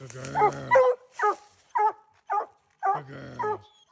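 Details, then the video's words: Dogs out hunting raccoons give loud, harmonic, baying barks, roughly eight in four seconds at an uneven rhythm. Some barks are short and clipped; others are drawn out into longer bawls with a low rumbling tone. The background is quiet. "COON HUNTING WITH DOGS"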